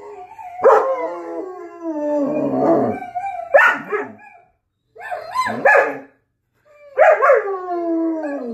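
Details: Dog lets out yip-like onsets that run into short wavering howls, in four bursts separated by brief silences.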